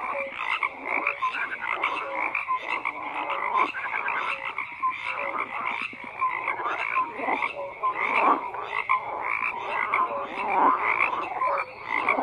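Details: Dense chorus of croaking frogs: layered raspy pulses fill the whole stretch, with short clear notes repeating at an irregular pace over the continuous background.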